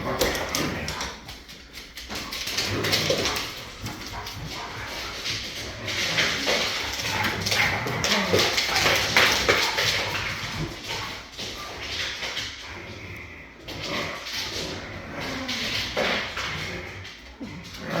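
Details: Three huskies play fighting, a dense continuous stream of growls, snarls and yips with broadband scuffling noise, loud throughout; a person speaks briefly nearby.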